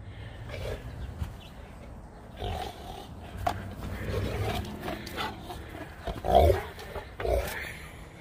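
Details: Max, a young Saint Bernard, plays in the 25-degree cold. Soft, low grunts and huffs scattered irregularly, with one louder rough burst midway and a steady low hum underneath.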